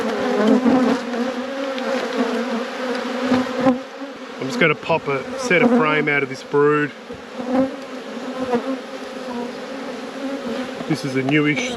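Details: Steady, dense drone of a honey bee colony in a beekeeper's apiary, with a low hum band and higher overtones. A person talks briefly midway, and there are scattered knocks from working the hive.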